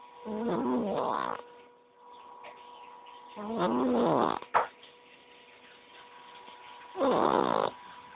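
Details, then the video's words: Sleeping domestic cat snoring: three loud, raspy, rattling snores about a second long, roughly every three seconds, with a short click between two of them and a faint steady electrical hum underneath. "кот храпит"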